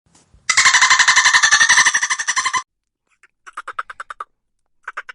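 A dolphin gives a long, rapid buzzing train of clicks, then shorter pulsed squeaky bursts.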